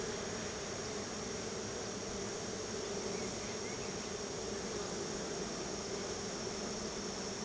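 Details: Swarms of honey bees coming out of their hive to check for a honey treat; an unbroken, loud droning buzz, steady in pitch and volume from start to finish.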